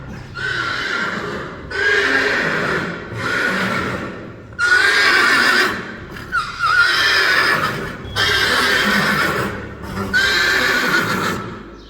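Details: Friesian horses neighing in a run of about seven loud, drawn-out whinnies, each roughly a second long with strong ringing overtones, following one another with short gaps between.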